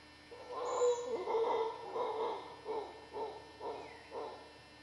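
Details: Howler monkeys in the dry jungle of western Costa Rica: a series of about seven rough, pulsed bursts, one roughly every half second, gradually fading over the stretch, with a steady background hum.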